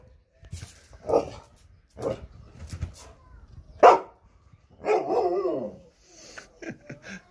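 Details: Female Siberian husky vocalizing indoors as she senses she is being left home alone. Several short, yelping barks are followed by a longer, wavering whine that falls in pitch, then soft scattered noises.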